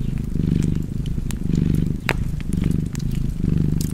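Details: Contented cat purring by a fireplace, a thick low vibration in alternating breath phases about every second, with one loud wood snap midway and light crackling around it.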